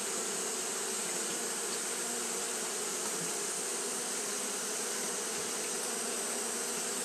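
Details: Japanese honey bees fanning nonstop in hot weather, producing an even, sustained buzz with a low humming band and a high hissing layer, constant across the whole stretch.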